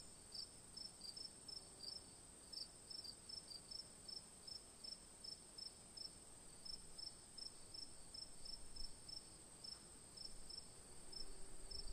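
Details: Crickets chirp in quick, regular bursts of high-pitched pulses, about two to three per second, over a persistent hiss, with low rumbling noise rising toward the end.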